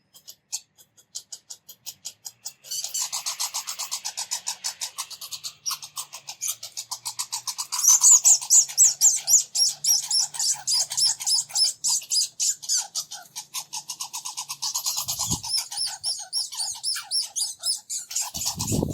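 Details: Two red squirrels squabble while chasing each other around a bird feeder, with a fast, high, rattling chatter of squeaky pulses that runs on without pause.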